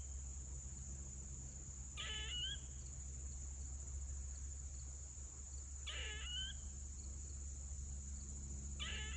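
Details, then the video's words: Three grating squirrel screeches, each a short buzzy burst with a rising whistled end, about four seconds apart, against a steady electrical whine and faint hum. "Squirrel is making screeching noise"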